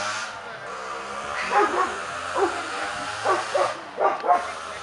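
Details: Kuvasz at the fifth Kuvasz club show in Kishegyes (Mali Iđoš), 2017: about six short, harsh barks, some in quick pairs, over a steady murmur of crowd chatter and background noise.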